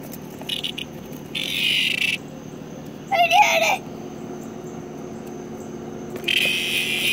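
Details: A cicada recorded up close gives loud, harsh buzzing bursts, each under a second, with a thin steady whine underneath.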